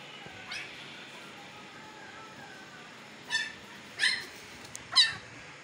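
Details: Siberian Husky puppies aged fifteen days in Pakistan, their eyes newly opened; a faint whine, then three quick high squeaky yelps toward the end.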